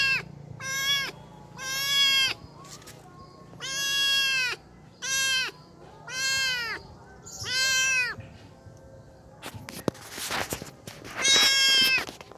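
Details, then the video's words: Stray kitten left behind by its mother, calling in a series of high, harmonic-rich meows, each about half a second long, repeated roughly every second, followed by a burst of clattering noise and one last meow. "anak kucing jalanan yang di tinggal induknya"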